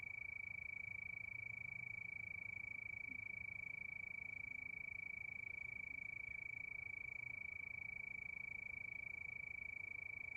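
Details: Night-time cricket chorus beneath the moon, a constant shrill tone throbbing in rapid, very regular pulses roughly three times each second, with soft low background hum.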